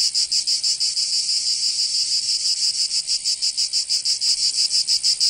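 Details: Provençal cicadas calling in the summer heat of southern France. A continuous high-pitched rattle pulses rhythmically around three beats per second, occasionally uneven in strength.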